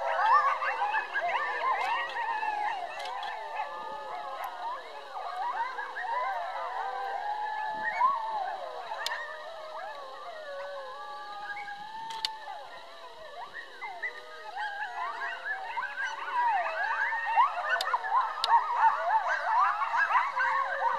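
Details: About a dozen coyotes calling together as a pack, a continuous frenzied mix of short yips, barks and wavering, sliding howls, the chorus swelling and fading and growing louder again toward the end.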